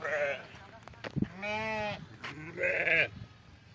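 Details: Several tremulous sheep bleats during milking, one long wavering cry in the middle flanked by shorter, higher bleats, with a few knocks and clicks between them.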